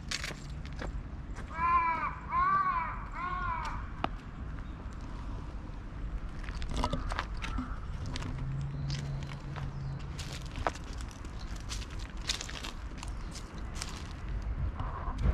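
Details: Gentle-natured brown tabby-and-white and orange-and-white cats, furious at a Siamese cat intruding on their territory; three short arched, harmonic wailing cries in quick succession early on, then footsteps and passing vehicle noise outdoors.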